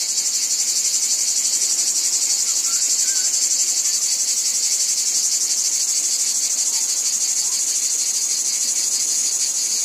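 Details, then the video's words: Cicada chorus from a wheat field: an unbroken high, sizzling buzz with a gentle pulsing texture throughout. A few faint higher chirps sit briefly above the drone. "Cicadas Ambience | Wheat Field Cicadas Background Noise"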